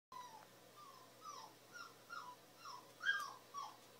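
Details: A Boston Terrier turns its head toward another dog's whining: thin, high notes that slide downward, repeated about twice a second.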